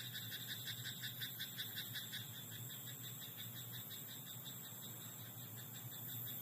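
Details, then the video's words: Frog croaking in a rice paddy at night: a fast train of short, bright pulsed notes, about three per second, strongest in the first two seconds and then fading, over a steady low hum and soft background hiss. "田んぼのカエル "Croaking frog in rice paddy at night""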